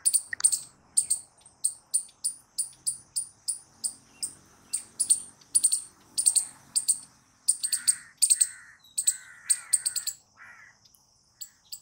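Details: Squirrel chattering in a long sequence of sharp, high chips that quicken into clustered bursts, then thin out near the end, with faint lower chirps and slight background rumble.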